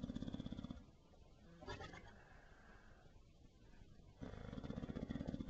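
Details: Benny, a bulldog, snores in low, buzzing bursts at the start and end, with a quieter breathy gap between them.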